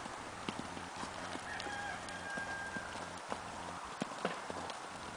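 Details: Tennessee Walking Horse in a smooth, natural rocking chair canter: steady rhythmic hoofbeats falling in repeated three-beat groups of dull thuds, with a faint drawn-out crow in the distant background.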